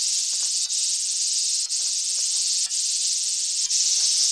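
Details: Large brown cicada, Japan: dense, high, hissing buzz sustained without pause except for quick dips about once a second.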